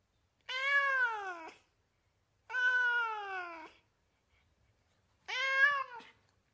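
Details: Domestic cat meowing in California, three long, clear, slightly falling meows about a second each, separated by quiet pauses, in a quiet indoor setting.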